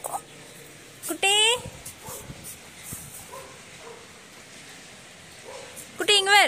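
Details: German Shepherd puppy with two high, falling whimpers spaced about five seconds apart, each sliding down in pitch, while a man's voice calls "come on" and faint rustling sounds in between.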